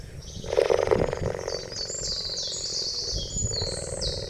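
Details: A short, rough pulsing cheetah call rises and fades within about a second, followed by steady high twittering of birds or insects.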